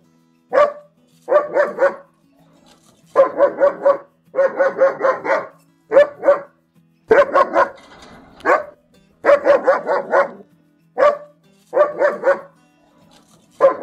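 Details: German Shepherd giving repeated barks in short clusters of two to four, with brief gaps between groups, across about fourteen seconds.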